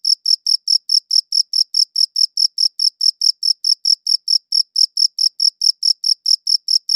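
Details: Cricket chirping, captured with a good audio recorder: high, clean chirps pulse at a steady pace of about four per second, each one bright and ringing, with no other sounds in the background.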